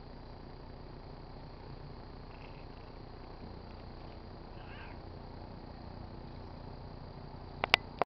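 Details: Pet tabby cat purring while rubbing itself on a car antenna; a soft, steady, low rumbling purr runs through the whole recording, with a faint brief higher sound midway and a few sharp clicks near the end.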